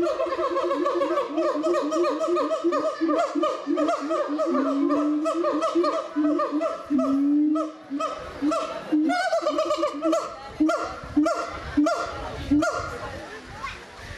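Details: Captive gibbons in the Doué-la-Fontaine zoo, France, in 2010, in chorus: dense, continuous, hooting whoops with long upward-sliding notes, pulsing rhythmically, then breaking into shorter, choppy calls near the end.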